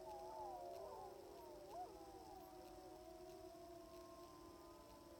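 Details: Distant group of sixteen wild timber wolves howling on a hill, Wrangell-St Elias National Park, Alaska, September 2018, about 700 yards away; dense tangle of wavering, glissading howls early on, thinning to a few long sustained tones.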